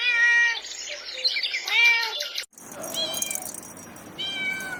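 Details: Kittens meowing while stalking and chasing butterflies on grass: a run of clear, high, harmonic meows, some short and some drawn out, with a brief cut midway before more rising and falling mews.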